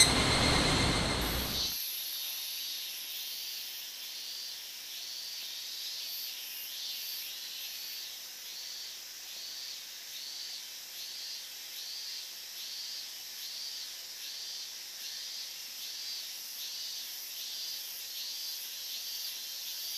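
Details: Higurashi cicadas in August 2011 near the restricted-zone boundary in Minamisoma, Fukushima, an unusually loud summer chorus: after a brief low rumble, dense high pulses repeat steadily, about three or four each second, layered over a constant hiss.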